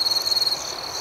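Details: A cricket at night gives a fast, throbbing high trill of about a dozen pulses over half a second, then fades into a steady background chirring.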